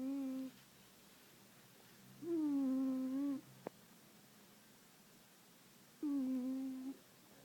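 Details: Pet cat named Puma, sound asleep indoors on an organic chemistry book, snoring with steady whistling hums about a second long, separated by pauses of two to three seconds, with one faint click in between.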